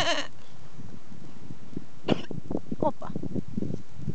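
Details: Goat coughing: a harsh, noisy burst at the start and a second sharp burst around two seconds in, with a low rumble of handling noise and a person's voice between them.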